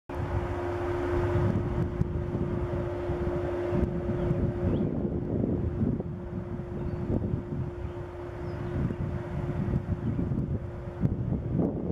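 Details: Steady low engine rumble with a constant hum and gusts of wind noise; no animal calls.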